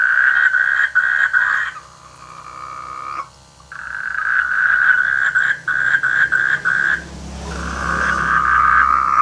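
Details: Rainy-season frogs in village rice fields, loud rattling croaks in fast pulsed bursts lasting one to two seconds, separated by short pauses, with a faint low hum underneath.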